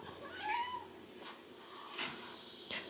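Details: Domestic cat in a household of eleven cats, indoors: a single short, quiet meow, rising then falling in a smooth arc and lasting about half a second, followed by faint clicks and knocks in the room.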